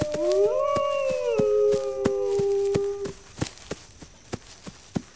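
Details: A single wolf howl, sent to inform pack members. It rises briefly, then holds a long, slightly falling tone for about three seconds before fading. Sharp crackling clicks follow.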